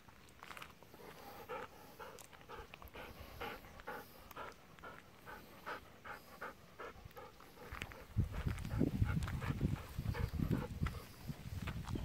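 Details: Golden Retrievers, an eleven-year-old female and her ten-year-old brother, relaxing in a rice paddy in the evening; steady breathy panting about three times a second for eight seconds, then low rumbling wind or handling noise takes over.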